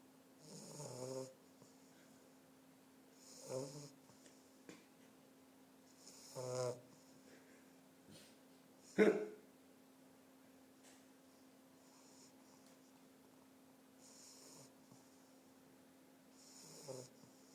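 An English Bulldog puppy snores in rasping, rattling breaths every two to three seconds.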